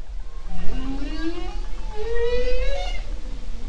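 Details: Bowhead whale recorded underwater in the Arctic near the Bering Strait during a research cruise, 31 July to 11 August 2010: low, harmonic-rich moaning calls that rise and slide upward, with constant low ocean rumble.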